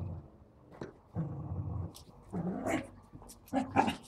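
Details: Dogs playing with a balloon at home: a low steady growl, then higher yapping barks and squeaky rubbing sounds in the final seconds.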